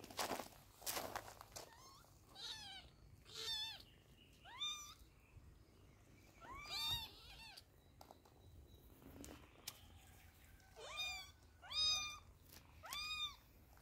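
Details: Young kittens during eye drop treatment, crying in bursts of thin, high-pitched descending mews, several calls close together then short pauses, with light rustling and background clicks.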